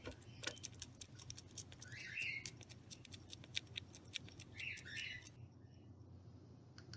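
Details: A mother big brown bat, kept by a wildlife rehabilitator with her baby at her side, crunches rapidly on mealworms, a dense run of sharp, dry clicks and crackles.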